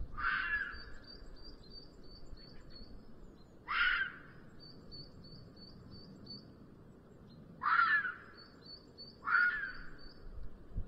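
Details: Calling in the mating season late in the afternoon, a red fox walks uphill in Sierra de Guadarrama National Park, seen from a black vulture nest camera. Four rasping, scratchy screams at uneven gaps, with thin high bird chirps repeating between them.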